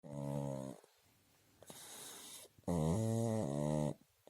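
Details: A sleeping pug snores loudly: two long rattling, buzzy breaths with stacked low tones, each lasting about a second, separated by a softer, breathy hiss.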